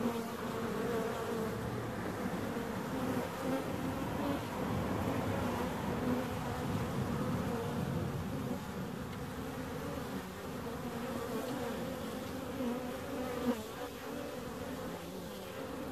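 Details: Continuous low droning of many bees, a dense layered hum with stacked harmonic bands holding steady throughout and slight wavering in pitch as individuals move about.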